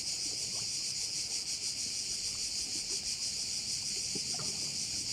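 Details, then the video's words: Crickets calling at one of the bays of Korčula: a dense, steady high-pitched shrilling chorus with a faint pulsing of about three beats per second, continuous throughout, over soft low background rumble. "view of one of the bays in Korcula with sounds of crickets"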